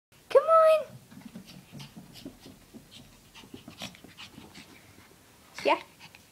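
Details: A 16-week-old male Shih Tzu puppy climbing stairs. Soft, quick breathy panting runs through the middle, framed by two short, high, squeaky yelps near the start and the end.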